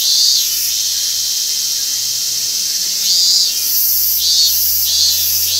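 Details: Robust cicada (Hyalessa maculaticollis) recorded at Gaikotsu-yama, Japan, 28 August 2021: shrill pulsing buzzes that swell and fade about once per second, layered on a constant high hiss with faint low hum.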